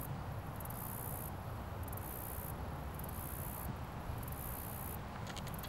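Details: Cricket on a leaf in its natural habitat, recorded closely: shrill buzzy trills come in four or five separated bursts, with a few faint clicks near the end and a low background rumble throughout.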